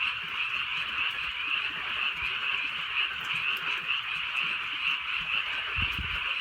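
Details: Frogs calling through a drizzly rainy night in the countryside: a dense, unbroken chorus of many overlapping croaks forming a steady bright shimmer, with soft rain patter and a few low thumps underneath.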